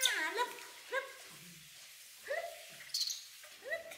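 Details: Baby monkey Poy crying because she does not want to be bathed, alongside baby monkey Nita; short harmonic wails that rise then fall, repeated about every second and a half, with quiet gaps between cries.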